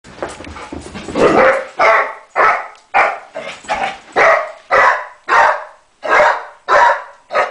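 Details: A female Basset Hound chasing another animal gives a steady run of deep, throaty barks, about two each second.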